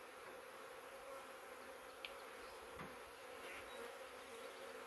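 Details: Huge swarm of honey bees, thousands strong, inside the box of a swarm trap, the swarm having come from a wild hive in woodland; a constant buzzing drone broken by a brief click midway.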